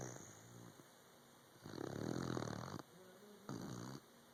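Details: A puppy snores while asleep: a long, loud, rough inhaled rattle lasting about a second, then a shorter buzzy snore, each rich in low harmonics against a faint room hum.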